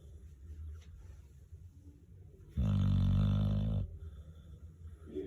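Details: Old pet dog snoring: one loud, low, rumbling snore lasting over a second. The room is quiet before and after it.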